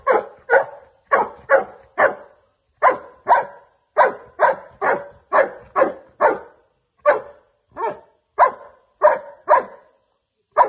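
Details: Golden Retriever barking indoors, a steady run of sharp, mid-pitched barks, often paired, about two each second for the whole stretch, with clean silence between them and no other sounds.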